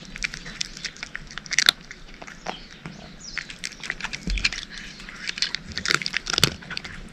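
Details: Domestic cat eating dry food: irregular crunchy bites with small clicks between them, two louder crunches standing out, and a faint low thump partway through; no other sounds.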